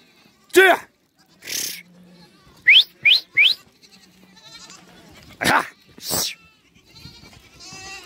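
Goats bleating, a mother and her kid trading loud, wavering calls as they reunite.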